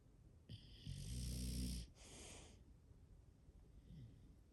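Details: English Bulldog from a five-bulldog home snoring: one strong vibrating, rattling inhale lasting about a second, then a hissing exhale and a faint snuffle.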